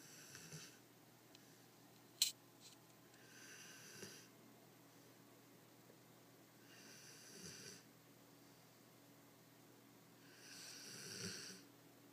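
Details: Greater Swiss Mountain Dog sleeping indoors, breathing in slow breathy snores every three to four seconds, airy and hissing, with one sharp click early on.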